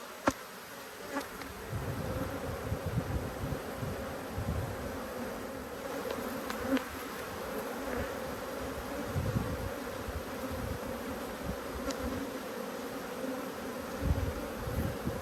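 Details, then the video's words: Honey bee colony upset by an inspection, 5 March 2022: an even, sustained buzz runs throughout, overlaid by low rumbling bumps and scattered crackling clicks from equipment. "When Bees Go Wild - Inspecting Two Angry Hives"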